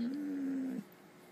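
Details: Gracie, a pet dog that "howl whispers" and talks with her owner, answers with a short steady low whine lasting under a second, quiet room around her.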